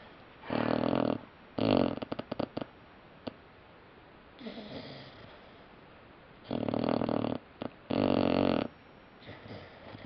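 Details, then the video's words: Puppy snoring while asleep in a small room, with loud rough breaths of about one second each, separated by irregular gaps, plus a few short snuffles and clicks between the snores. "Snoring Puppy"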